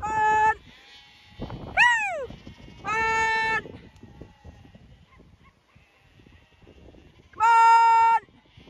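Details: Zwartbles lambs on a County Kilkenny farm in Ireland, called along while being moved away from the ewes for weaning; steady harmonic bleats and one sharply falling bleat, four in all, with faint background noise and footsteps between.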